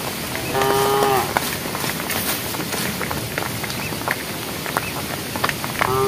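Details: Herd of cows calling to one another while walking along a road: one clear sustained moo near the start and the onset of another at the end, with rustling and faint voices.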